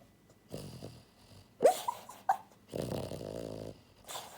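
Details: Pied French Bulldog girl Buhiko, born January 2022, snoring heavily in her sleep: a few brief snuffles, then a long rasping snore lasting about a second, followed by softer breathing.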